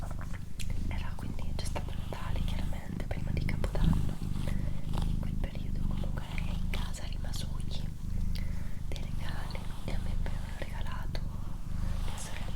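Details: Low, continuous purring from Doroti, a female house cat, recorded indoors; the rumble holds steady throughout while a person whispers softly over it.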